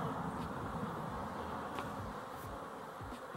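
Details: Many honey bees buzzing together in a steady low hum, a dense swarm sound with occasional brief louder passes as single bees fly close; a person remarks on how busy they are.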